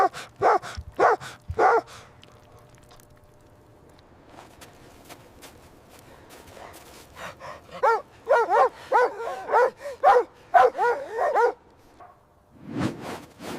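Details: Puppies and their mother dog play in fresh white snow in winter. Bursts of short, high yapping barks come in quick runs, with a quieter scuffling gap in the middle, then another rapid volley and a final bark.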